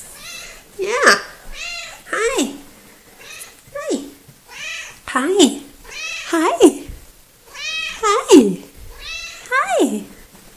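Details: Coco, a small and very talkative female pet cat, chatting indoors on 3 February 2018: a steady run of about nine bright, harmonic meows, each sliding downward, roughly one every second, with faint human talk between.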